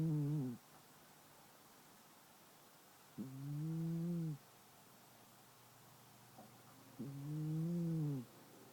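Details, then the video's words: Sleeping longhair shelter cat Brie, ten years old, snoring as usual: three low, steady, buzzy drones, each about a second long and slightly arched in pitch, recurring roughly every four seconds over faint background hiss. "The BrieCat Snores Again"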